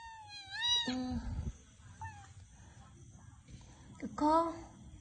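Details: Domestic cat meowing: a long high tonal meow that rises then bends down into a lower drawn-out note, a short second meow near two seconds, then a final rising-falling meow, with people talking quietly in the background.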